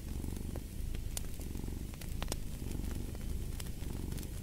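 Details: Cat purring by a fireplace, a deep steady rumble rising and falling in slow breaths roughly every second, with scattered crackles and pops from the fire.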